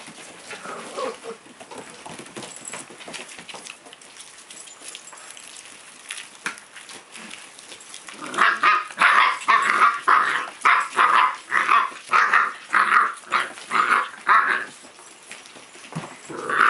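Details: Puppy playing. Quiet scuffling at first, then from about halfway a rhythmic series of strong growly yaps, roughly two per second, fading near the end before one last burst.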